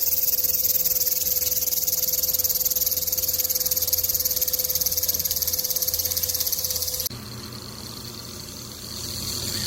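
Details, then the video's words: Two cicadas on a maple tree in Seocho Culture and Arts Park, met along a path; dense, steady, high-pitched buzzing with fine rapid pulses that stops abruptly after about seven seconds, leaving a faint low hum and background noise. "매미소리 듣기"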